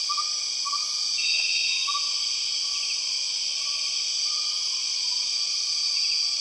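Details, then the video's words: A dense wall of empress cicada sound in Borneo's rainforest, steady and shrill, with brief buzzy pulses on top and quiet short whistles repeating faintly beneath. "The weird sound of empress cicadas"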